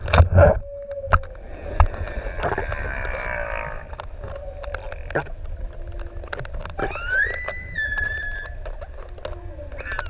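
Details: Six adult humpback whales singing while playing near swimmers in the open sea off ʻEua, Tonga; tonal moans, a long rising-and-falling whoop and high whistled upsweeps near the end, with clicks, bubbles and water noise throughout.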